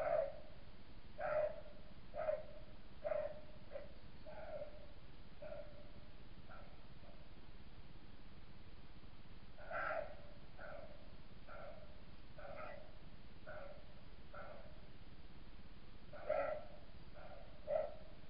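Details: A male roe deer caught on a trail camera near Gubbio in 2018 gives a series of harsh, hoarse barks spaced about a second apart.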